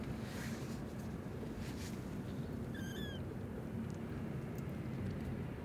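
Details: Evening cry of a newborn kitten pleading from inside a blocked old warehouse: one clear, high, slightly falling mew near the middle, otherwise a continuous low rumbling hum.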